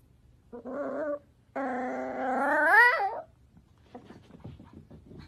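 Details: Cavalier King Charles Spaniel, a pet dog, giving a short whimper, then a long harmonic whine that climbs in pitch and breaks off near the end, followed by soft scattered indoor noises.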